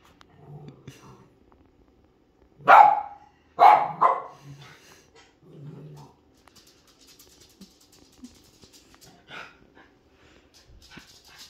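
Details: A protective pet dog that barks when she senses something outside: two loud barks close together near the middle, followed by soft grumbles and quiet low sounds, with faint background noise.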